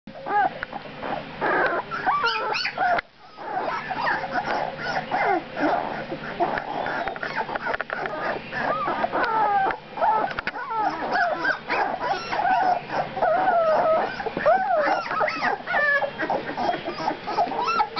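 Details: Two-week-old puppies in a litter whimpering together: many overlapping high, wavering whines and squeaks run continuously, with short rising-and-falling yelps layered on top and barely a pause throughout.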